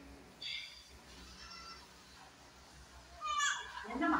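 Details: Kodi goat on a farm in Kadayanallur, Tenkasi District, a doe that has just given birth to four kids. Two bouts of high, harmonic, wavering bleats, one brief near the start and a louder, longer one at the end, with a person's voice calling nearby.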